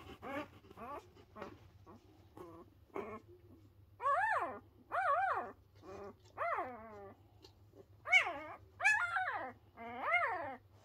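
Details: Pyrenean Mountain Dog puppies under a week old, one of a litter of three, loudly voicing displeasure. Quiet start, then from midway loud arched whining cries that rise and fall, in bursts about once a second, over a low steady hum.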